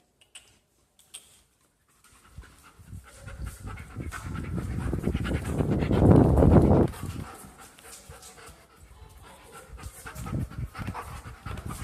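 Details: German shepherd dog playing at home, panting in quick rhythmic breaths of about four per second, building to a loud burst near the middle before easing off, with scattered handling noises.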